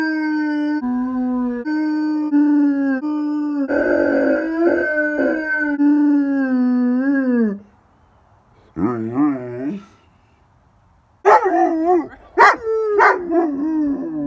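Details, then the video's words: A howling dog named Miller holds sustained, slightly stepped notes that slide downward and fade out. After a pause come short wavering yodels, then louder, higher, quavering howls that fall away in pitch. "howling compilation"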